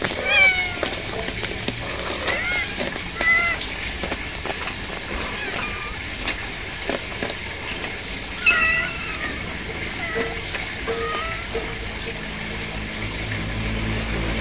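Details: Kittens give scattered short, high mews, some sharp and some drawn out, spaced irregularly across the stretch, with a steady low background rumble throughout.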